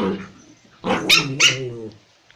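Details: A toy Pomeranian puppy in Kathmandu, Nepal, playing with a spitz, gives sharp, high-pitched yappy barks preceded by a softer growly whine.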